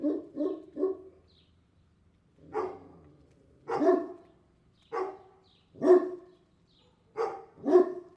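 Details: Angry dog barking: short harsh barks, first three in a quick run, then single and paired barks spaced about a second apart, with silence between them.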